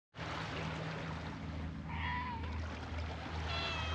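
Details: Cats at a fishing port being played with, among them a black kitten that bites hard without knowing gentle play-biting; a single short, falling meow sounds midway over a steady low engine-like hum and hiss.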